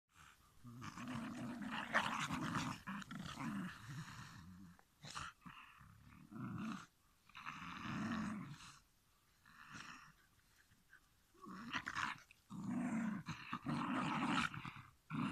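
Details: Shiba Inu giving long, harmonic growling grumbles in repeated bouts of one to three seconds, separated by short quiet gaps, with a rough low rumble under a brighter whining overtone band, indoors-sounding with no other clear sounds.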